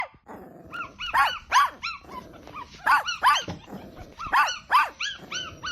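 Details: Newborn puppies feeding from their mother dog: high, arching whimpering squeaks in pairs about every second, with soft low rumbling pulses between them.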